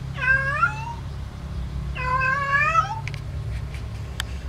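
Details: Domestic cat calling while in heat, looking for a mate: two long wavering meows with rich harmonics, each about a second, rising then falling, followed by faint clicks over a steady low hum.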